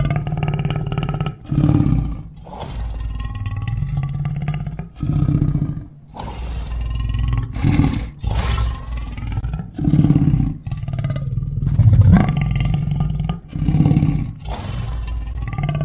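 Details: Lion making deep, rumbling roars and growls in repeated low pulses, each lasting about a second, with short dips between them and a steady, throaty, rolling texture throughout.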